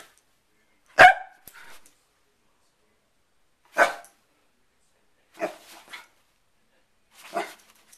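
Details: Sherlock, a pet dog upset by a hair clip opening and closing, gives four loud, abrupt barks spaced one to two seconds apart. The first bark is the strongest, and the room falls quiet between them.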